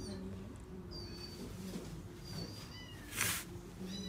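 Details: Male seal point Himalayan cat, born 31 August 2018, at a pet shop, giving thin, high, short meows in several bursts over a steady low hum, with one brief loud noise burst near the end.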